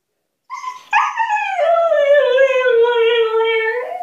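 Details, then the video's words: Female husky Altezza demanding freedom from her enclosure, where she is put when punished: a brief whine, then a sharp jump into a long drawn-out howl that falls and settles on a steady, slightly wavering tone before lifting at the end. "Хаски требует свободы"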